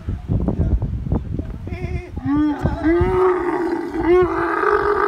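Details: Camel calling in a desert setting: a series of rough, harmonic moans and bleating grunts, building into a long sustained groaning call, with low thumps and background noise at the start.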